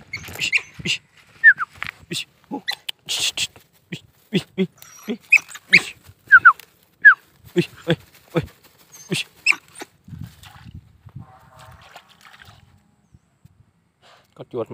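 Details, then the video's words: Hunting dog of an old native Vietnamese mongrel line giving irregular sharp barks and yelps, short bursts scattered through the clip at uneven intervals, some in quick pairs, with a quieter pause near the end. "Chó săn dòng chó cỏ đời trước"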